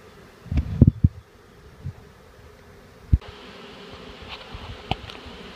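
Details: Honeybee swarm being shaken into a hive, where the bees marched right in after two little shakes: heavy knocks and thuds from the shaking over a low, rumbling buzz of the bees.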